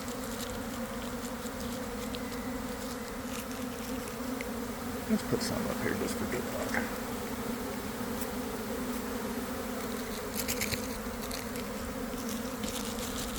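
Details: Inside a developing honey bee swarm leaving a garden hive in early afternoon, following cold, damp days: continuous thick buzzing hum, even in pitch, with occasional louder passing bees.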